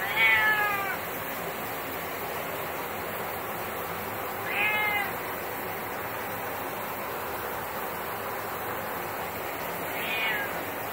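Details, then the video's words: Cat that hates being showered, a male, lets out three long mournful meows about five seconds apart while shower water hisses steadily in the background. "Cat hates shower time"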